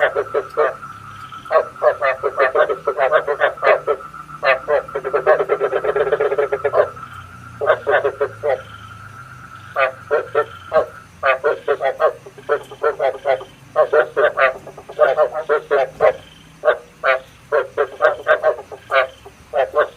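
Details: Frog calls played as a lure for night trapping: dense bursts of rapid, rattling croaks in quick series, with a steady high whine running through the first half and short pauses between volleys.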